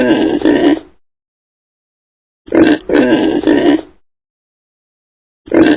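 Piglets give short, hoarse grunts in quick pairs and triplets, each under half a second, separated by brief silences.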